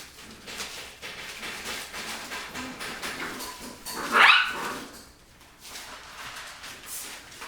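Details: Rottweiler puppies play-fighting after eating; one sharp, high yelp breaks out midway, surrounded by steady scuffling, thumping and rustling of the tussle.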